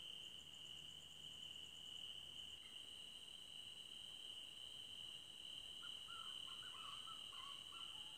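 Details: Crickets in a forest at night: a steady, unbroken high-pitched trill runs throughout, with a fainter, even higher whine above it. A brief pulsed chirping appears early on, and soft scattered chirps come in near the end over a quiet background hiss.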